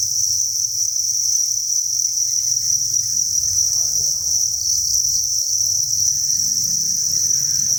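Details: A continuous shrill chirping chorus from masses of crickets inside a cricket breeding facility, an even high-pitched wall of sound, with faint low scratching and rustling underneath.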